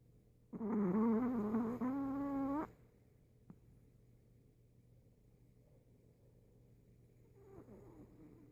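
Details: Sleeping Chihuahua, recorded 26 September 2014, voicing in its sleep: one drawn-out, nasal whining note lasting about two seconds, rising gently in pitch, then a long quiet stretch and a faint short murmur near the end.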